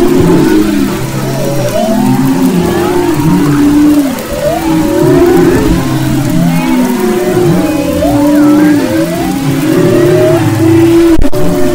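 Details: Humpback whales singing off Maui's west coast, February 2011; a dense chorus of rising and falling tonal moans, short upswept whoops and higher squeals layered over constant low underwater rumble.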